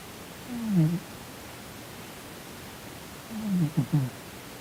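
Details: Sleeping domestic cat named Sonny, a Korean shorthair, twitching and snoring indoors as if having a nightmare; two low snoring breaths, one near the first second and a ragged double snort around three and a half to four seconds, over quiet room hiss.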